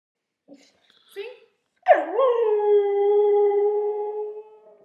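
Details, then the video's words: Two-year-old pure-bred Siberian husky singing: after a few faint soft noises, one long howl sweeps down, then holds a steady tone with rich overtones for about two and a half seconds before fading. "our husky singing"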